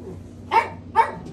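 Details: Tiny newborn light apricot poodle puppies; two short, sharp squeals about half a second apart in a quiet room.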